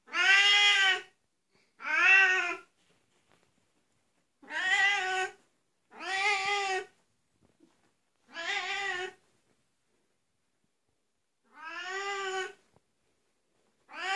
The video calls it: Oriental siamese cat voice